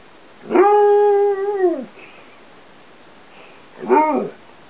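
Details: A 2.5-year-old Karelian Bear Dog/Alaskan Malamute cross talks while playing a favourite game in a bedroom: a long, drawn-out howling vocalization with a slight falling bend, a pause, then a shorter rising-falling yelp.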